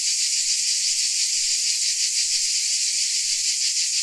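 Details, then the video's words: Crickets in Dalmatia form a dense, unbroken, high-pitched shrill chorus with a faint pulsing about three times per second; no other sounds stand out. "Dalmatia Crickets Sound Effect"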